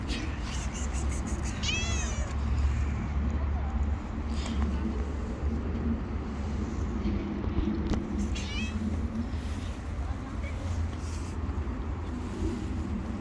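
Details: Street-living stray cat mewing in short wavering cries around two and eight seconds, set against a constant low hum of traffic and city background noise.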